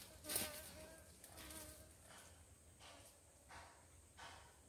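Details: Apis cerana, the Asian honey bee raised for abundant honey, buzzing past in several brief swells of wavering hum, with soft rushing noise between passes.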